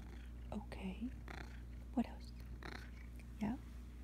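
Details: Russian Blue cat named Blue, a chatty pet indoors, giving three short low chirping trills spaced about a second apart against a steady low hum.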